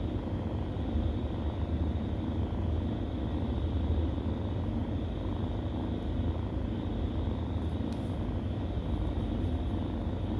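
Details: Kittens nursing, giving a steady, low rumbling purr that runs without a break, with a soft pulsing texture and a faint hiss above it.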